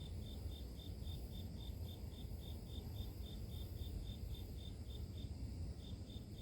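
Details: Grass insect chirps, short high pulses repeating regularly about three to four times a second, with a dense low roar underneath throughout.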